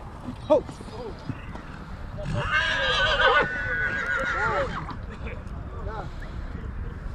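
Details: Stallions at Satu Mare, Bucovina, in 2022; midway a loud, strained, shrill whinny holds for about two seconds above steady background chatter of people talking throughout the recording.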